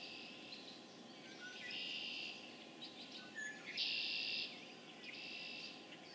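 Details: Dense chorus of spring peepers in Harvard, Massachusetts, recorded on April 27, 2011: overlapping high peeps merge into a continuous shrill band, with louder bursts of massed calling swelling and fading in waves.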